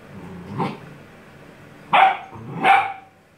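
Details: Gordon Setter puppies aged eight weeks at play with their mother: three short, rough barks or growly yaps spaced about a second apart, the last two louder.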